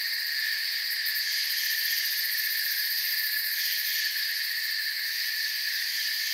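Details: Forest crickets chirping softly as a continuous massed drone. Several layered high tones hold steady throughout, with a fine rapid trill at the very top and nothing else audible.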